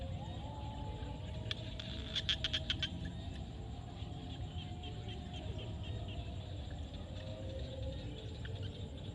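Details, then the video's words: At sunset in a Cambodian field, a natural recording of frogs: a quick burst of sharp clicking pulses two seconds in, then fainter scattered clicks trailing off, all above a steady low-pitched rumble. "SUNSET with Frog sound at the field"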